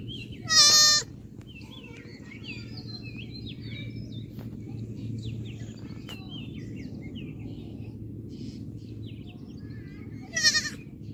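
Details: Goat gives two short, loud, quavering bleats about ten seconds apart, with birds chirping in between over a steady low background rumble.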